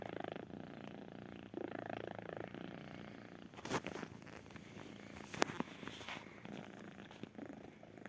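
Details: A kitten purrs softly and continuously, a low vibrating rumble, interrupted by a couple of brief sharp rustles or clicks.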